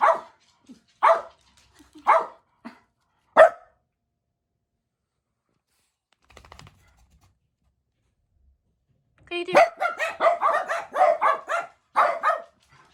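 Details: Jack Russell Terriers in a multi-dog household waiting indoors for their owner's return; single sharp barks about once a second, a brief pause with faint rustling, then a dense burst of rapid overlapping barking.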